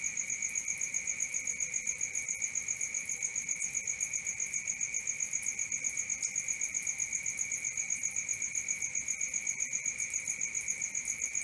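A cricket chirps steadily, with rapid, even, high-pitched pulses running without pause.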